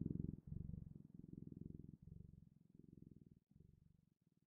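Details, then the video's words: Soft, low cat purring, a fine fluttering rumble in breath-length bursts that grows quieter toward the end, recorded up close indoors. "Sounds of Cat's Purring"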